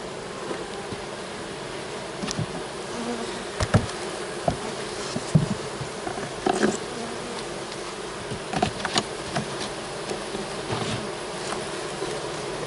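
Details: Open honey bee hive during setup of a fall split with a queen excluder; even buzzing hum under frequent sharp taps and knocks from frames and tools, louder bumps near the middle and end.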